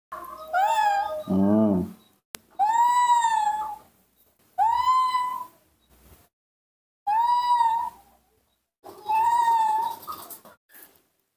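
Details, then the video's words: Baby monkey Nomi, impatient for milk, calling with drawn-out tonal cries, each rising then slightly falling, five cries spaced about two seconds apart with a short lower grunt-like burst near the start; quiet room otherwise. "calling and making small sc rea ms, the baby monkey Nomi couldn't wait to drink milk"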